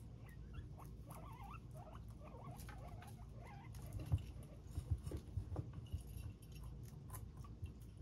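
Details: Guinea pigs on a real-time cam give soft, wavering squeaks over a background of rustling and crunching as they eat.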